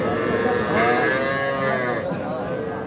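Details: Cattle at the Aftabganj cattle market in Nawabganj, Dinajpur, where young bulls and heifer calves are being sold on 5 September; a drawn-out, steady, harmonic moo lasting nearly three seconds over background market noise.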